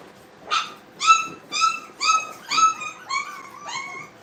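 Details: Brittany puppies playing at a training kennel give a run of sharp, high yipping barks, roughly two per second, each clipped and ringing, with later yelps slurring upward in pitch.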